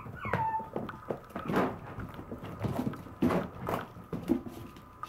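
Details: Puppy whimpering: a high, thin whine that slides downward near the start, followed by scattered soft whimpers and small rustling knocks, with a quiet steady hum underneath.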